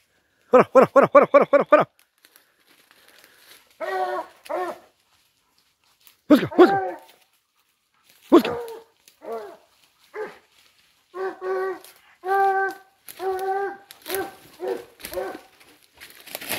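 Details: Dogs pursuing a wild boar: a fast string of about eight barks, then scattered yelps and barks, and excited harmonic baying yelps repeated through the second half, with crackling noises between.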